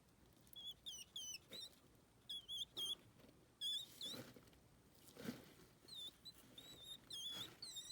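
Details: Hedgehog giving high, thin squeaks, short wavering whistled notes that come in quick bursts of two or three, with brief pauses between, over faint rustling and background hiss.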